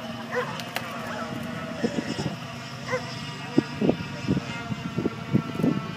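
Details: Ibizan Hounds at the Tampere International coursing, Nordic championships, 14 July 2013: a short run of sharp barks, bunched mostly in the second half, over a steady crowd murmur and faint voices.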